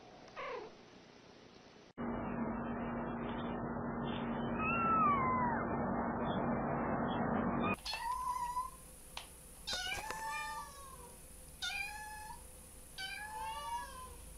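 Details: Kittens meowing: a brief mew at the start, then a stretch of steady hum and noise, followed by a run of repeated high, falling mews roughly every second near the end.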